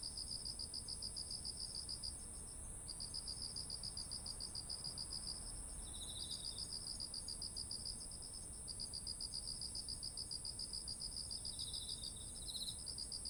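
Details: Autumn insect voices near ripe rice fields: long runs of fast pulsed chirping broken by brief gaps, occasional short lower trills, and a persistent high steady drone, over low diffuse background noise.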